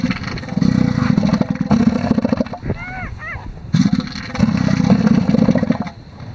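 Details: Pulsed, throaty roaring from male elephant seals competing for a harem on a Sea Lion Island beach in the Falklands. Two long rattling bursts are split by a quiet gap, where a few short rising-and-falling bird cries are heard.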